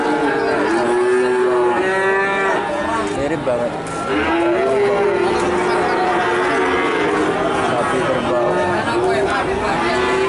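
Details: Cattle calves in Nganjuk, Indonesia, lowing in chorus. Many long harmonic moos overlap, some bending upward at the end, over a steady background of human chatter.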